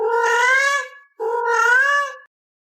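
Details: Domestic cat talking back to its owner: two loud, drawn-out meows, each lasting about a second with a slight rise and fall in pitch, separated by a brief pause, with no other sounds.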